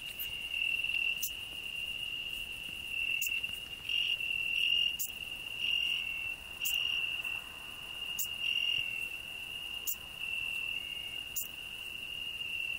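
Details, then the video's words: Cricket singing on a rose bush beside a grasshopper, a hedgehog resting beneath: a steady, unbroken high-pitched trill held throughout, with sharp clicks roughly every one to two seconds and faint short higher chirps mixed in. "Cricket and grasshopper singing"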